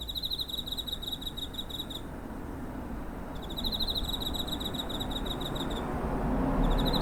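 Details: Cricket near a home on 7 September 2023, captured with a TASCAM DR-05: rapid high pulsed chirping in two-second trains, a brief pause, then another long trill that starts again at the end, over a steady low rumble.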